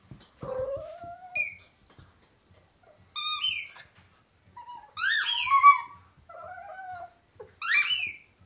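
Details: Indoor Italian Greyhound female singing with her toy: short, thin howls sliding upward alternate with bursts of very high, chirping squeaks from the toy, separated by quiet gaps.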